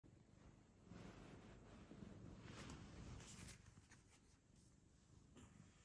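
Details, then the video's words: Domestic cat purring indoors, a steady low rumble with soft rhythmic pulsing that swells louder from about one to three and a half seconds, with light rustling and brushing sounds above it. "He purrs this is true love"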